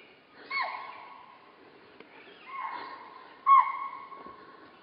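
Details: A spotted deer in Corbett gives three shrill, falling alarm barks, spaced one to two seconds apart.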